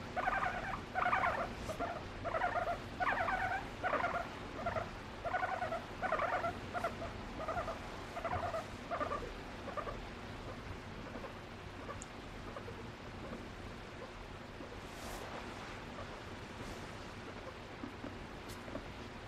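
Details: Pet female guinea pig seeking affection from her owner indoors, voicing varied calls to express emotion: a steady series of short, harmonic squeaky notes pulsing in rhythmic bursts for about ten seconds, then fading to quiet room noise with faint rustles.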